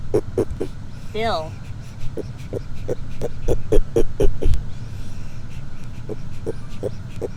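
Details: A pet red-footed tortoise honking loudly, short nasal pulses repeated roughly every half second in an uneven run, with a brief rising squeak early on, a low background hum, and a person talking nearby.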